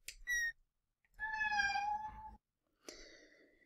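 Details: Cat "mew" subtype: a short, high-pitched mew from a kitten, then longer tonal, quite high-pitched mews from an adult cat wanting a door opened.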